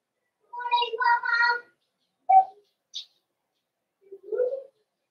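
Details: Cavalier King Charles Spaniel puppies in a home puppy pen, meeting several bigger household dogs for socialization on 12/13/22. Short harmonic whines and yelps come in a quick burst, then a sharp yip, a faint squeak and a softer whimper, in a quiet room.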